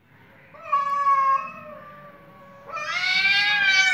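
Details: Cats fighting with their voices: a long wavering meow with a rich harmonic stack holds steady, drops, then swells into a louder, harsher, higher yowl over faint low background hum.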